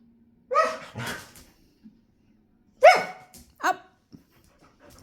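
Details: A female Siberian Husky gives two pairs of loud, harmonic, yowling barks, asking to play.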